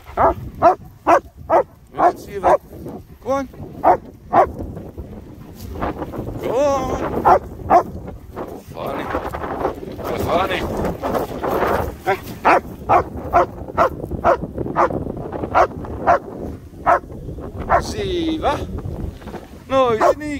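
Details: German Shepherds Nico and Zeeva at play in sunny Scottish Borders countryside around Hawick, recorded on an S23 Ultra phone; short harmonic barks repeat steadily for twenty seconds, roughly two a second, mixed with a man's voice and outdoor noise.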